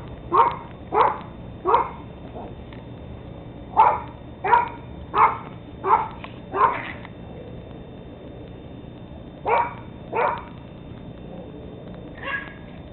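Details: Teddy Roosevelt Terrier pups, 13 weeks old, recorded on 17 October 2007, giving short yappy barks in bursts of two or three, with pauses between groups and a quiet background.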